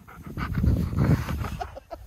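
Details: Husky vocalizing insistently to get what it wants: a low, grumbling, throaty run of sounds lasting about two seconds, rising and falling in loudness, with breathy bursts.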